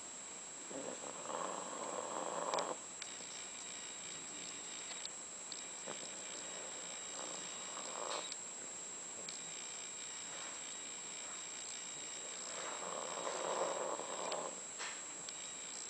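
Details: Dogs Candy and Frank sleeping in their final days; three slow, breathy snores come roughly five seconds apart, with light clicks and a steady high-pitched whine underneath.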